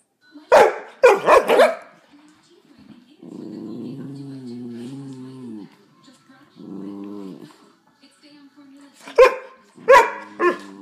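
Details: Smaller pet dog gets mad and bites at another dog that keeps annoying it: bursts of sharp barks at start and end, with long low rumbling growls between them.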